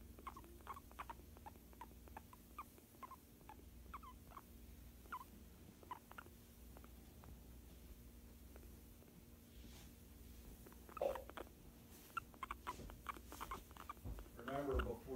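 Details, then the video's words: A pet guinea pig chatters during a massage, giving quiet, brief squeaky chirps in scattered runs, with a low background hum and a louder rustle and handling noise near the end. "GUINEA PIG TALKING WHILE GET MASSAGE"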